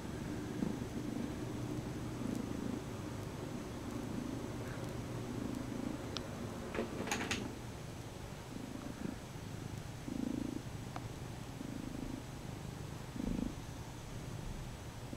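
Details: Lucy, a Bombay cat, purrs while kneading a stuffed toy horse she drags around the house; a steady low rumble runs throughout, with faint clicks and small rustles over it.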